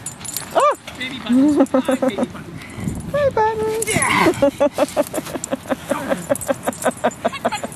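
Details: Buttons, a 16-month-old pet dog, playing with his 15-year-old boy: a run of high, bending yips and whimpers early on, then a busy stretch of overlapping human voices with quick clicks and taps.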